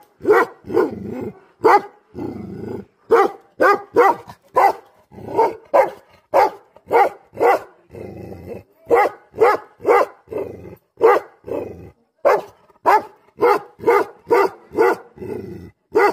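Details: Angry Tibetan Mastiff, known locally as Bhote Kukur, barking hard and steadily. Deep, loud single barks are repeated about every half second with brief pauses, and a low rumbling growl shows between some of them.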